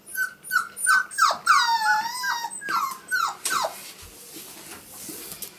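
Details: Five-week-old male Pomsky puppies from Winter and Dash's litter, indoors: a run of high, tonal whimpers and yips, each sliding downward with rich harmonics, repeated roughly three times a second and then trailing off into rustling.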